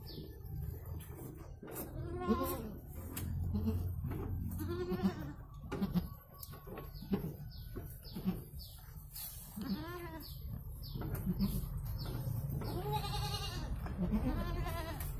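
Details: Goat giving birth to two kids; several wavering, harmonic bleats recur through the stretch over steady low rumbling background noise, with faint short high chirps in between.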